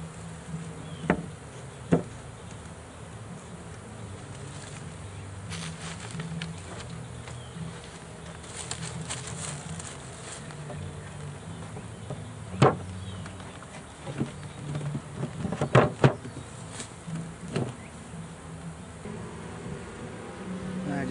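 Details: Swarm of honey bees caught in a swarm trap, being emptied from the box toward a new hive: a continuous low droning buzz throughout, broken by scattered thumps and knocks of wood being handled.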